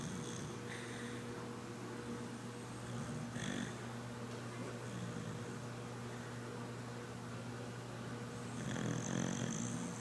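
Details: Sadie, a red cocker spaniel, sleeping and snoring softly: low steady rumble with faint breathy hiss rising near the end, plus a constant hum.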